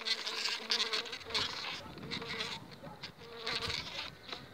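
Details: Honey bees of a colony wintered on five frames, two weeks before acacia bloom: a whining flight buzz with a clear hum tone that comes and goes in pulses, over a busy rustling background.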